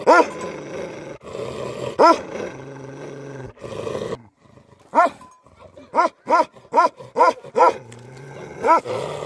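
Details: Livestock guardian dogs giving deep, harmonic barks, a few spaced single barks followed by a quick run of about five barks, with a low hum and rustling between them.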